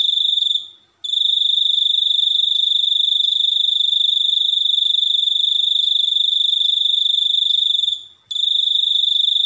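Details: A cricket trills continuously in a high, piercing, finely pulsed tone. It breaks off briefly near the start and again near the end, then resumes at the same pitch. No other sounds are noticeable.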